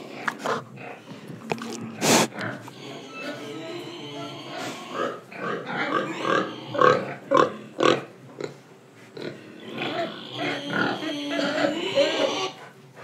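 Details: Indonesian pig breathing and eating: quick series of nasal grunts at about two per second, some with a slightly tonal, squealy edge, rising in loudness midway, over a steady background murmur.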